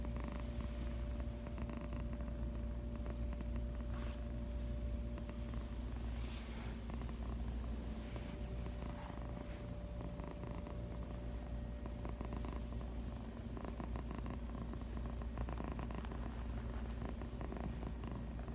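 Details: Pet cat resting on a lap and purring, a constant low droning rumble with a faint steady hum in the background.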